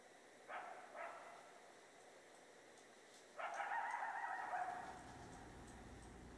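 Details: Coyote calling out at night, faint and distant: two short yelps, then a longer wavering howl over steady background hiss.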